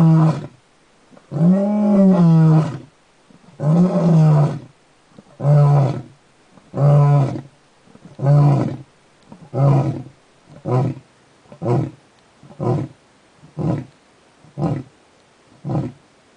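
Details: Male lion on Jackalberry Game Reserve near Hoedspruit, South Africa, wounded by a water buffalo, May 17, 2011: a roaring bout opening with several long, heavy moaning roars, then a run of shorter, quieter grunts repeated roughly every second, fading out.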